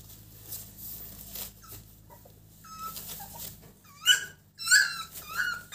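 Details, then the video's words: Exotic American Bully puppy at one month old, indoors: faint, soft whimpers at first, then a burst of high, wavering yips and whines crowded into the last two seconds. "Exotic American Bully at 1 month old"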